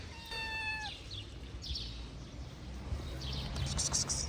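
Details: Stray mother cat with her kittens, very hungry, greeting someone at a garden gate: a single clear harmonic meow lasting about half a second near the start, followed by quiet outdoor background with faint chirps and rustling.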